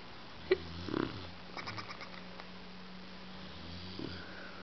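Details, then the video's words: Sleeping bulldog Bulka gives a brief rasping snort near the start, then a soft steady hum and one more faint snuffling breath toward the end, with low background hiss throughout. "Bulka Snoring"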